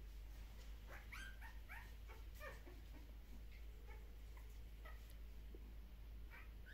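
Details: Puppies from Kumi at a Shiba Inu and Samoyed breeder in the Netherlands, handled during an early neurological stimulation session. Several short, faint squeaky yips and whimpers come in quick bursts over a low steady indoor hum.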